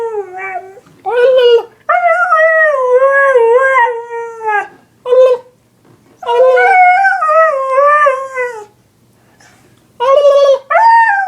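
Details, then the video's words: Dog reacting to annoying sounds lets out long, sustained howls with a gentle waver, each lasting a few seconds, separated by short pauses and brief yelps. "Dog hates annoying sounds!"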